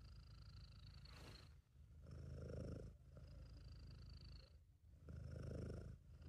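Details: A happy, relaxed British Shorthair named Sabu purrs in a low, rattling drone, recorded by an amateur. It rises in strong swells roughly every three seconds in time with breathing, over a faint steady high-pitched background tone.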